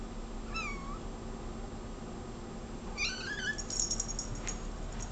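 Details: Domestic cat indoors, meowing repeatedly at a bug seen on the wall: two short, bent meows about two and a half seconds apart, the second slightly longer and higher, over a constant low hum and hiss.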